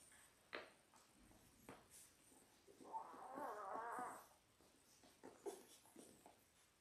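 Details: Indoor puppy cam of six Labrador Retriever pups, 10 days old, born January 18, 2022: a single thin, wavering whine lasting about a second stands out amid faint shuffling and scattered clicks.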